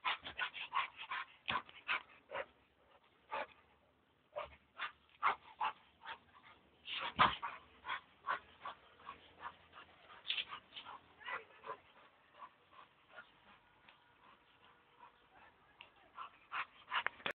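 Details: Male American Staffordshire Terrier, one year and seven months old, jumping; high whines and yelps mixed with short barks in quick uneven bursts, some louder yips among softer whimpering.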